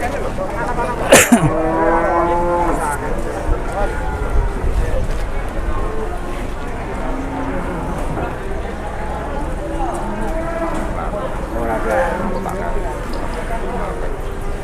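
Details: Jumbo cow in Indonesia, briefly rampaging at a livestock sale before being sold; one low, harmonic moo sliding downward early on, then fainter lowing beneath constant crowd chatter, voices and a sharp knock.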